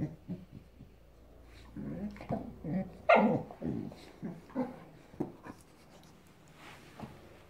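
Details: Boxador puppy, five months old, growling at her new Pinky Pig toy in a room: a string of short gruff growls and grumbles, one louder yelping burst in the middle, trailing off into quieter huffs.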